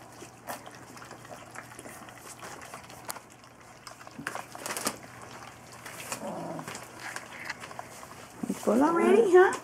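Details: Golden Retriever puppies, three weeks old, from a 2015 litter: after soft rustling and quiet talk, a brief, loud, wavering whine rises and dips in pitch near the end.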